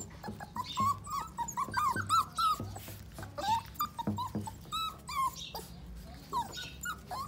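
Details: Pitbull cross Jack Russell terrier puppies, six weeks old; rapid overlapping high whimpers and yips, several per second with short wavering squeals, some soft thumps and low background hum.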